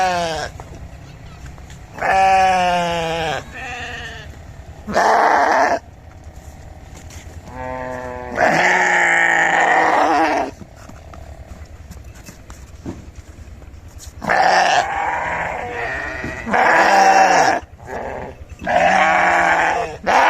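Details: Sheep bleating about eight times over twenty seconds, each bleat a wavering, quavering cry lasting one to two seconds, separated by quiet gaps with a low background hum.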